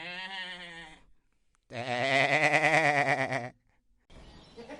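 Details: Goat making classic bleats for herd communication: a short tremulous bleat, a pause, then a long loud quavering 'maa' of nearly two seconds, and a rougher bleat starting at the end.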